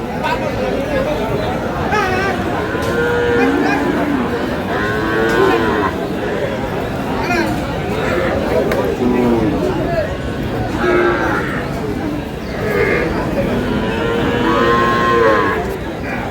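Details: At a busy Dinajpur livestock market, the Aftabganj haat, Sahiwal dairy cows with calves are on sale on 11 July 2026. Several rising and falling moos recur every few seconds, heard through a constant babble of human voices.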